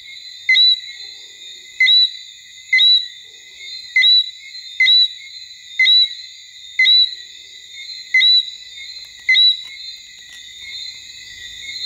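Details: Singing Martinique robber frog recorded in Basse-Terre, Guadeloupe, October 2014; sharp two-note chirps, the second rising, recur around once per second against steady high-pitched insect drone.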